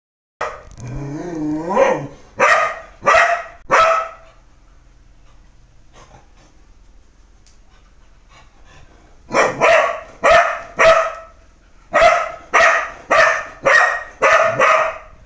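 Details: Dog opening with a rising, wavering whine-like vocalization, then loud, sharp barks in two bursts, roughly one every half second to second, with a quiet gap between runs; no other sounds stand out.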